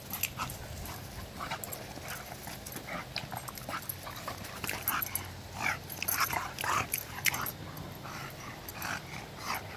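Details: Bulldog and a vizsla at play, giving rapid short yips and whimpers, roughly a hundred a minute and irregular, loudest near the sixth to seventh seconds over a steady low hum.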